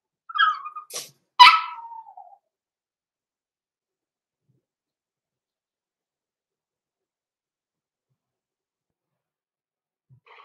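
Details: Blenheim Cavalier King Charles Spaniel puppies aged six weeks, Roman and Blue, indoors in their pen: a quick pair of sharp yelps, the second bending down into a brief whine, followed by long quiet.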